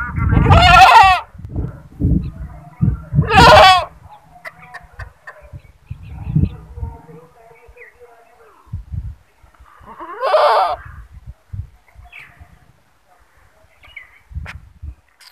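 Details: Goat giving loud bleating screams, two strong quavering cries close together, then a third a few seconds later, with low thumps, rustling and a human voice between calls.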